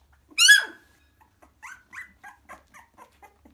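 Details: Cockapoo puppy, three weeks old, gathering with its littermates at their mother: one loud high yelp, then a string of short, thin squeaks repeated about every quarter second, fading away in an otherwise silent room.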